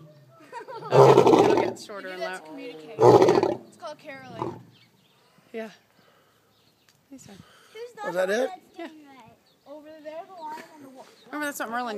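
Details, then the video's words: A lion at an animal rescue facility in Eureka Springs, Arkansas, roars in its sleep, giving two loud, rough roaring bursts, followed by people talking quietly. "Lion sleep roaring!"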